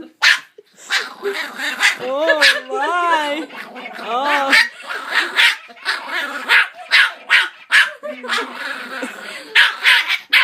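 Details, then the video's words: Puppy reacting to a jingle bells singing Santa toy dog: warbling tones from the toy early on, overlapped by steady rapid barking and yaps that continue throughout, with a woman speaking. "Puppy hates singing Dog"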